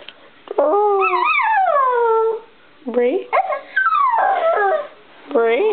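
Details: Bichon Frise singing: a run of wavering, rising-and-falling howls, each a second or two long, separated by short pauses and ending on a fresh upward swoop.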